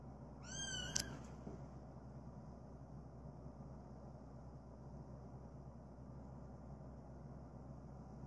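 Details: Cream-coloured male British Shorthair cat born 21 January 2017 makes a single brief high meow with a click at its end, followed by quiet room hum.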